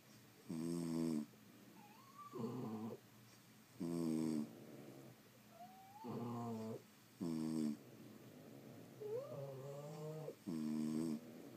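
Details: Sleeping French Bulldogs indoors, snoring in loud, rough, buzzy bursts roughly every three seconds, with thin whistling nasal wheezes that rise and waver between the snores.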